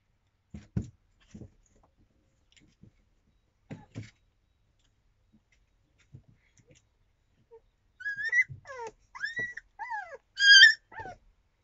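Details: Yakutian Laika puppies, 25 days old, recorded in April 2023: soft scattered thumps and shuffling, then a burst of high, thin whistled whines and squeals, some rising and some falling, in the last few seconds.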